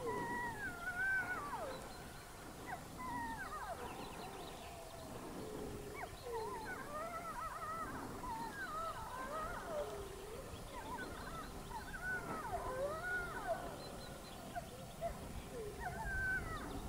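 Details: In Haute-Savoie, France, several gray wolves howl together, their long, wavering voices rising and falling and overlapping.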